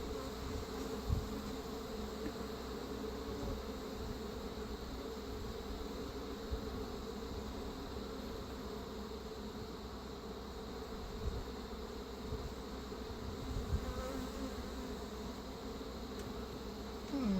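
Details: Honey bees at a hive grown very defensive, from a caught feral swarm with Africanized genes, during queen replacement with an Italian queen: a steady, dense droning hum of many wings, unbroken throughout, with faint handling noises.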